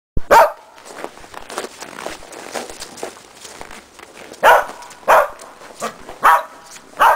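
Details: Shetland Sheepdog Preston barking during agility training at a box with a jump grid, running contacts foundation work; five sharp, loud barks, one early and four bunched near the end, with quieter shuffling and movement sounds between.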